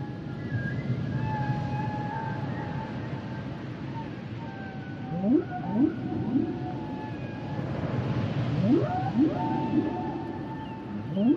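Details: Humpback whale song opening with long level whistled tones, then series of upswept whoops around five and eight to ten seconds, rising and falling in strength, over a heavy low rumbling background.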